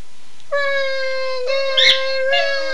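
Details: Two household dogs respond to their owner's phrase "Run Guy run" with a long, flat, steady howl, briefly broken and resumed, with a short sharp yelp mixed in.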